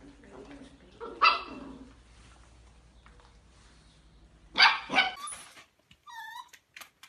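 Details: Playful miniature dachshund giving a short bark, a pause, then a quick double bark. A brief squeaky, whistle-like sound follows in a quiet indoor setting.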